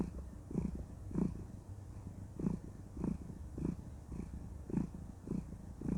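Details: Female cat, content during cuddle time, purrs in a deep low rumble that rises and falls in regular breaths roughly every 0.6 seconds, intimate and close-up in a quiet room.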